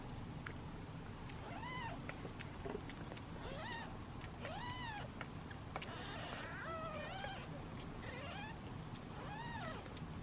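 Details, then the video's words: Seven impatient kittens sitting in a basket waiting to be fed, meowing in a repeated series of arched, falling meows over a constant low hum. "Impatient Meows of Kittens"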